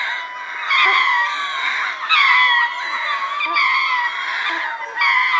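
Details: Ring-tailed lemur troop chorusing at Berenty in southern Madagascar, recorded medium-close: many overlapping harmonic wails stack into a dense, steady wall, with sharp bright cries cutting through about every second.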